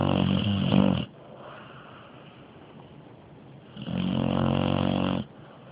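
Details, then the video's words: Sleeping dog named Araya snoring super loud, two coarse, buzzing inhaled snores about a second long each, separated by nearly three seconds of quiet breathing indoors. "Dog Snoring SOoooo loud!!!!"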